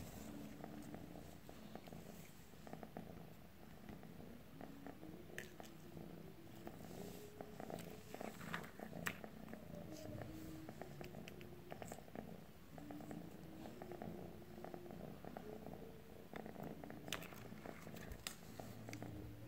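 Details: Low, unbroken purring from a calico cat directed at a stick, a rough pulsed rumble carried throughout, overlaid by a sequence of faint stepped tonal glides and sporadic small clicks.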